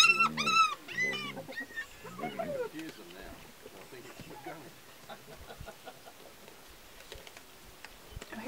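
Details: Hyenas feeding on a young wildebeest, with a vulture nearby: loud, harmonic whooping and giggling calls in quick bursts open the scene, then fade to scattered crunching, rustling and low feeding sounds.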